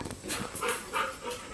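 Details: A family's pet Labrador, Golden, from Kalsuli village, breathes in fast airy pants, three or four puffs within under two seconds, following a soft initial rustle.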